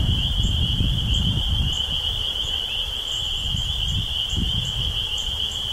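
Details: Chorus of spring peepers emerging from a swamp on Cape Cod, Massachusetts, in early spring 2015. Countless high peeps blur into a continuous piercing tone with faint brief higher notes above and low rustling noise beneath.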